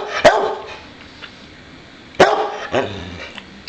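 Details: Pet boxer dog Bowser, asking to play, lets out two loud separate barks about two seconds apart, followed by a softer yelp and quiet room noise.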